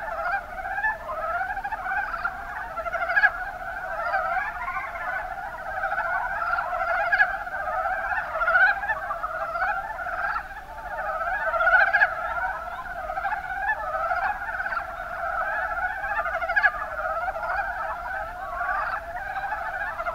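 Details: Mountain brown frogs, Rana ornativentris, calling in the Kuma Basin of Kumamoto, Japan: a dense continuous chorus of rapid, pulsed clucking croaks overlapping throughout, with many frogs calling at once and no other clear sounds.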